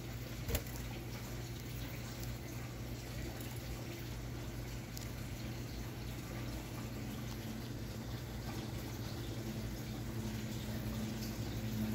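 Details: Only low running water and indoor room hum are heard, with no animal voices. A steady low hum and faint watery noise fill the recording, with one brief click near the start.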